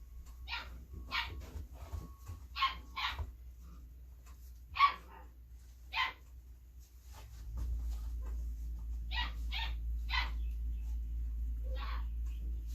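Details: Female Belgian Malinois puppy, born 26 September 2021, during hand feeding gives clusters of brief high yipping barks with quiet gaps, then a louder low rumbling background starts midway as more yips follow.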